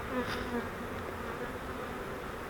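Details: Honeybees from a swarm trap being transferred into a Langstroth hive: a short, even, diffuse buzz as the trap is squeezed together, with a soft knock at the start.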